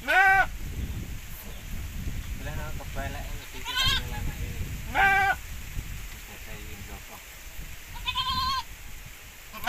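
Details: Javanese and Boer crossbred goats on an Indonesian farm give repeated nasal bleats, four strong ones spread over several seconds with softer bleating between, while people talk nearby.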